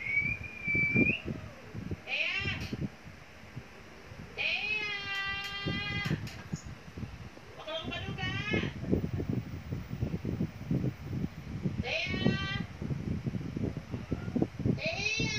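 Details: Repeated long, strained cat meows, some rising and bending, arrive every couple of seconds over a continuous low background rumble, with a short high whistle at the start.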